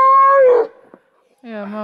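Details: An Alaskan Malamute in Latvia, preparing for a five-hour hike carrying a backpack. A short, clear howled note falls away, then after a brief pause a second, lower and rougher howl begins.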